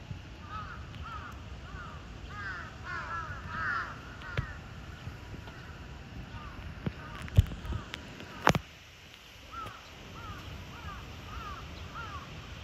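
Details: Repeated bird-like chirps from the cheetah Zuraya at Chiba Zoological Park, Japan, on 8 April 2023. Quick runs of arched chirps pause for loud knocks midway, then resume as a steadier series.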